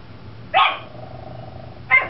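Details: Chihuahua Vespa standing up in a bay window, barking at a school bus crowd while another dog, Tucker, barks from the floor; two sharp, high barks about 1.4 seconds apart over a quiet indoor background.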